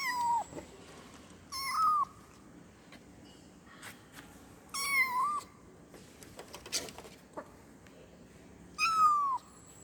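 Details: Calling for its mother, a kitten gives four short meows spread across the clip, each bending down at the end, with soft knocks and scraping sounds in the pauses.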